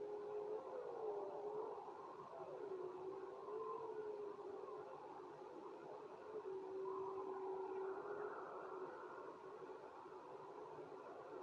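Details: Wolves howling together: long, sustained, gently wavering tones overlapping, one steady lower voice sliding slowly up and down while higher voices rise and fade above it, over a soft continuous hiss.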